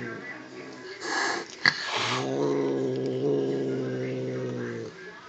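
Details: A fat adult house cat angry at a kitten: a hissing burst then a sustained low rumbling growl of about three seconds, with a faint background voice.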